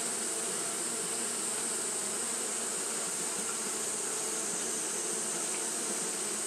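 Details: On a hot day Japanese honey bees fan continuously, filling the sound with a uniform, grainy buzzing hum and a constant sharp high hiss throughout.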